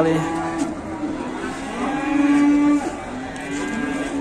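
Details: One of many huge cattle brought to a market in Indonesia gives a long, even lowing moo lasting nearly three seconds, followed by a softer second low call, with crowd noise underneath.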